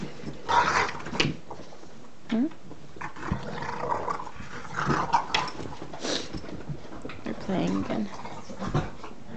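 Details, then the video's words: Puppies playing together indoors in a small room, the little one grabbing on and twisting her head back and forth; rough bursts of low growling and scuffling come in irregular spurts, mixed with a person talking. "Our puppies playing"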